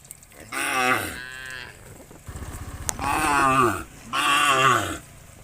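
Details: Cattle among a herd of hundreds being driven by a shepherd toward green fields: three loud, harmonic, drawn-out moos, each about a second long, first falling then steady, separated by short pauses with faint rustling between.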